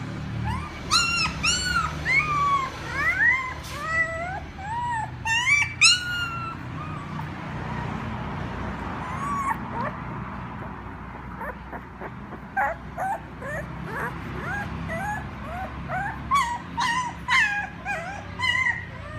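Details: Puppy crying for their mother: a burst of high, curving whines early on, then scattered short squeaks and yips over a steady low background hum.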